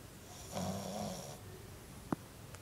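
A French bulldog lets out a single rasping snore, a low buzzing drone lasting under a second with a faint nasal whine on top. Afterwards the room is quiet apart from a brief sharp tap.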